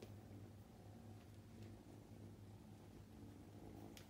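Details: A purr from Roo (Luka), a playful male Scottish Fold with upright ears, born 8 May 2021 and filmed at home. The low rumbling pulses come in waves with short breaks between them, in a quiet small room.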